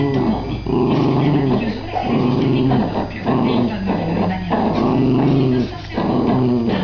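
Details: Two Jack Russell Terriers, a father and his young, playing together. A continuous throaty growling comes in long wavering bursts of about a second each, separated by brief breaths, with a rough, rumbling tone throughout.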